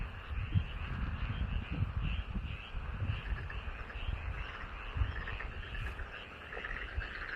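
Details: Rice-paddy frogs near a house croaking together, a busy stream of short repeated notes layered into a constant chorus, low booming noise throughout.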